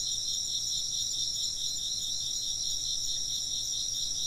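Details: Insects chirp together in an unbroken, bright, high-pitched drone made of rapid pulses. The layered trills stay steady and even, with little else beyond a faint low hum.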